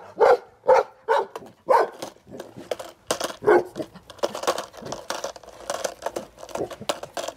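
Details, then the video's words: Golden Retriever barking at a skateboard indoors, with a few loud barks spaced under half a second apart, followed by a dense stretch of overlapping barks and clatter. "My Golden Retriever barks at skateboards for 2 minutes straight"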